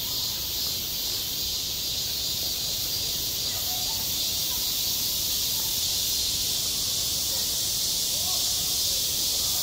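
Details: Cicadas singing in midsummer at a school playground, their massed buzz forming a constant bright hiss, with scattered faint short chirps in the middle range.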